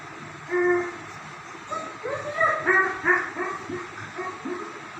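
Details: Playful German Shepherd dogs give a quick string of pitched yelps and whiny barks, several bending upward, packed close together after an opening single yelp, over a constant background drone.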